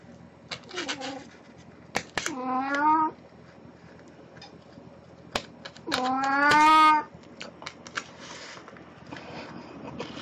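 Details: Domestic cat Puran, dressed in a Snow White costume for an encore after a birthday party, indoors, recorded 1 April 2017; two drawn-out harmonic meows, the second louder and longer, separated by clicks and quiet room noise.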